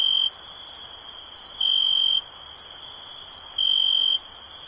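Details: Crickets chirping in a calm ambience: an unbroken thin high trill carries across, while three louder pulses of about half a second rise above it, with faint high ticks between them.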